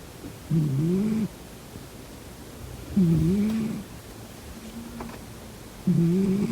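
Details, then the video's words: Sleeping domestic cat snoring: three low, rasping, two-toned snores, each about three-quarters of a second long and spaced roughly every two and a half seconds. A quiet room sits between them, with no other sounds. "코 골면서 자는 고양이 콧구멍 막아보기😺 코고는 고양이 Snoring cat"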